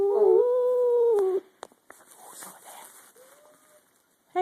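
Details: Two cats growling at each other while another cat watches: a short, loud, steady tonal growl of about a second and a half, followed by quiet rustling and a faint, brief moan.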